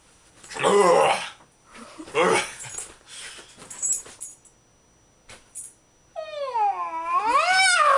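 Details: A female Jack Russell Terrier named Agnes in extreme rough play with a companion, cutting and snapping indoors: two loud rough growling bursts, a few short noises, then a long wavering whine-like tone rising and falling.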